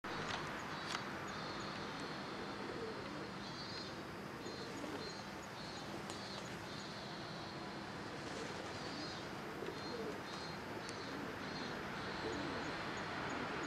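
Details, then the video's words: A robust cicada sings in a park on 2 September 2023, giving repeated buzzy, pulsing bursts over a steady wash of background noise. "ミンミンゼミ"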